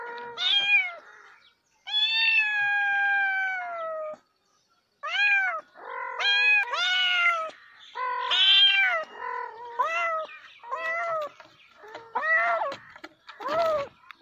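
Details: Cat meows repeatedly over fourteen seconds: a long drawn-out plaintive cry, then a rapid run of short, sharp, rising-falling meows, some nasal and insistent, with brief pauses between.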